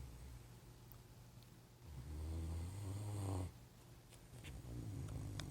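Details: Vader, a Great Dane passed out on the couch, snores in deep, rumbling breaths, each drawn-out rasp swelling low and heavy.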